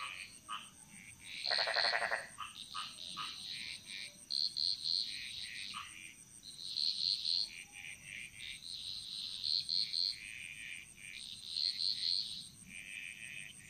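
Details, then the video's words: Frog chorus echoing through a Bali jungle, quieter and more distant: mostly high, clipped chirping calls in short repeated groups, with one loud rattling croak burst early on and a steady high-pitched whine throughout. "Frog Mantras - Relaxing Sounds Of Bali"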